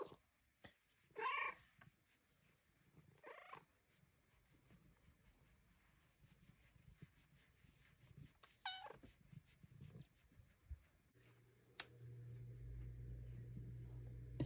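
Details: Bengal cat getting belly rubs indoors, a few short strained meows early on, then a steady low rumbling purr through the final seconds, with a woman speaking softly in between.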